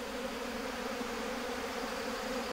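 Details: Honey bees buzzing as their hive is disturbed during management work, when it is moved or something is taken out. A dense, steady droning hum that holds without pause throughout.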